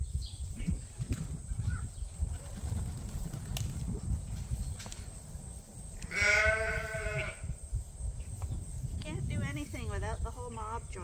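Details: Ram at Ewetopia Farms, a large registered Suffolk and Poll Dorset sheep farm, gives one wavering, harmonic bleat of about a second amid steady low rumble and a faint steady hiss, with brief human voices afterward.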